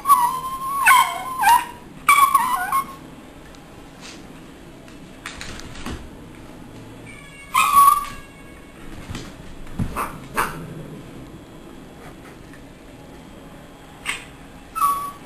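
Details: Schipperke; play growls; play-fighting with a cat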